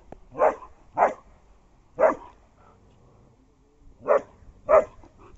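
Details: German Shepherd confronting an afraid street dog during a fight: five sharp, harsh barks at uneven spacing, three close together, then a pause before two more.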